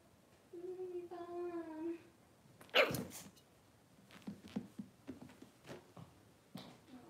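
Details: Six-week-old Cavalier King Charles Spaniel puppies in an indoor puppy pen, getting dewormed and their toenails trimmed: a steady, tonal whine lasting over a second, then a sharp loud burst and scattered soft clicks and rustles.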